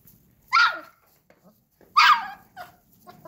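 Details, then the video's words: Akbash dog puppies, guard dog breed, with two loud, harsh barks about one and a half seconds apart, separated by quiet gaps with faint low sounds. ""Vicious" Akbash Dogs"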